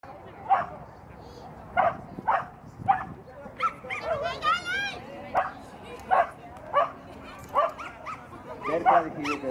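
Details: Welsh Terrier named Bertha running a mini grade 3 agility course at Agility Neo Reus on 09/12/18; short sharp barks repeat about every half second to second, with people talking in the background.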